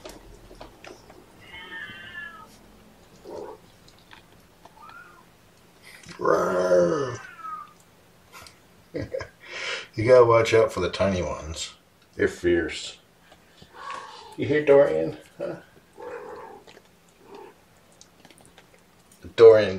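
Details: Young foster kittens during a morning feeding with syringe and formula, giving several separate harmonic meows, some rising and falling, spread across the recording with quiet gaps between, plus soft handling noises and a little human speech.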